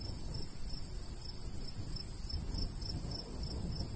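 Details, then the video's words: High crickets' chirps pulse evenly about twice a second across a summer wheat field in the countryside, set against a constant low wash of light wind. "Countryside/cricket sounds"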